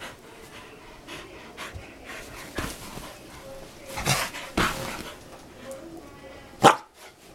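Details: Dogs playing: steady breathy panting puffs through the recording, with scattered soft noises and one sudden sharp yelp-like bark near the end.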